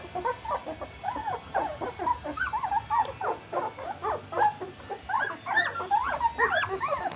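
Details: Group of two-week-old puppies whimpering nonstop while wobbling about, clear arched whines that rise and fall, several voices overlapping, a few notes sliding upward into squeaks, against a faint steady hiss.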